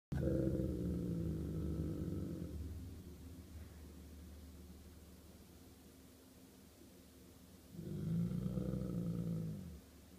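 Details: Golden Retriever named Chewbacca (Chewy) defending his territory in a standoff with a squirrel: a deep, rumbling growl lasting over two seconds, a quieter pause, then a second low growl of about a second and a half near the end.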